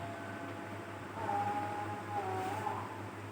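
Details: Two cats fighting: a drawn-out tonal yowl holds steady, then wavers for about a second and a half over a low, constant background hum.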